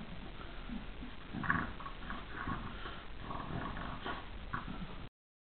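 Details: Kaatje and Jake, two dogs at play inside, Jake gentle like a big brother; low snorting grunts and soft growly huffs come in short irregular bursts, with one louder snort early on.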